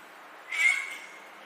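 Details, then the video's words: Domestic cat giving a single short meow, a tonal rising-then-level call lasting about half a second, over a faint steady background hiss. "CAT MEOWING SOUNDS"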